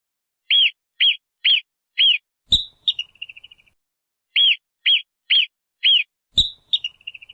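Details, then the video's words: Marmot calling: two runs of four short, sharp, high chirps about half a second apart, each run followed by a sudden click and a rapid, fading stutter of shorter chirps. "MARMOT SOUND"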